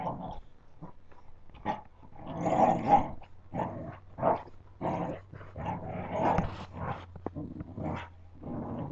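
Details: Puppies playing, giving rough growls and short growly bursts in irregular bouts, some loud and some soft, with brief pauses between them.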